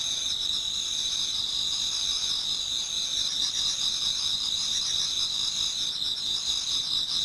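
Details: Autumn insects in a Japanese garden near dawn, a crowd of singers producing an unbroken high-pitched ringing trill in two bright layers, softly pulsing throughout, with nothing else standing out.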